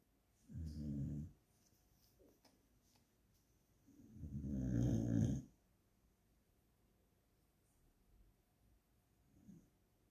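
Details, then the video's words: Tired, resting dog snoring: two deep, rough, low rumbling breaths about four seconds apart, each lasting around a second, with quiet room stillness between them. "The dog is snoring/ძაღლი ხვრინავს/Собака храпит"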